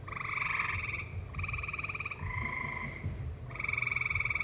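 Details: In a valley with live music playing, tree frogs give rapid rattling trills, four bursts each lasting about a second with brief gaps, set over a muffled low background hum.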